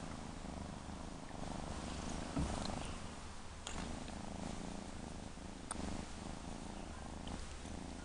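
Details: Female kitten purring steadily and continuously, a low, rumbling drone with faint rustles and clicks throughout.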